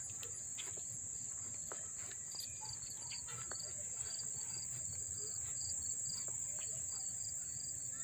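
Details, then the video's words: Crickets chirping up close in Dobbs Ferry, New York, on August 1, 2014: a steady high continuous trill persists throughout, with shorter pulsed chirps repeating a few times per second and faint scattered clicks beneath. "the chirping of the crickets"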